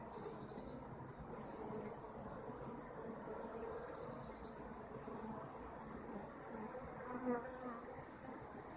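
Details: Kept honeybees humming as a dense, steady buzz spread across low and middle pitches, continuous for the whole stretch, with faint higher insect whines drifting in and a brief louder burst near the end.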